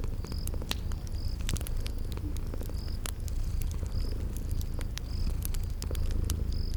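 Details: Low continuous purring from sleeping cats, mixed with a cozy spring garden scene; brief high chirps recur about once a second while sharp pops of a crackling fire punctuate the rumble.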